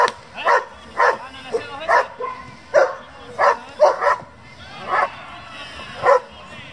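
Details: German Shepherds from a working and breeding group for the breed, barking in a rapid irregular series of short harsh barks, about ten over several seconds, with some voices in the background.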